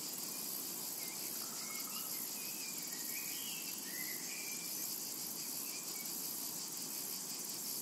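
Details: Cicadas in a summer meadow fill the air with a steady, dense, very high shimmering buzz, with faint whistled bird notes drifting underneath.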